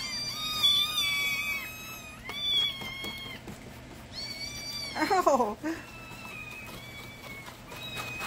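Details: Hungry kittens crying loudly at morning milk time indoors, a string of high, drawn-out meows overlapping one another, with a person's voice telling them to hold on.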